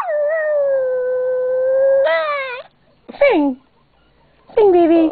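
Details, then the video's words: Small yorkie-papillon mix dog howling on its owner's request: a two-second level, sustained howl, then quick rising-and-falling yelps separated by short silences. "My Dog Lola is one singing BITCH! Woof!"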